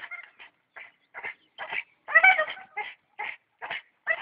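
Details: Staffordshire bull terrier in action, giving a string of short, high yipping and whimpering cries in bursts, some louder and more strained, with brief pauses between.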